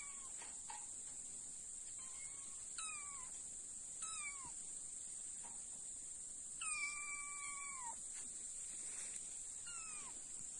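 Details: Egyptian Mau cats give a series of short, falling meows, one longer and drawn out, over a steady high hiss.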